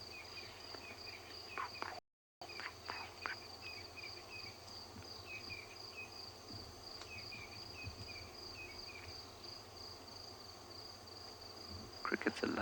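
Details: Crickets keep up a steady high trilling chorus with a few short chirps and rustles, at sunrise around 06:00 on 30 April 2020 at Djuma Waterhole, Sabi Sand, as doves wake and lions call nearby.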